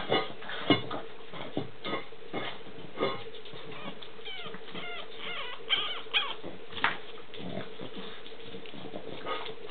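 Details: Boston Terrier puppies of the Aldebaran Taurus litter D give short, high, squeaky whines and little yelps, some with bending, wavering pitch, scattered irregularly over a steady low hum.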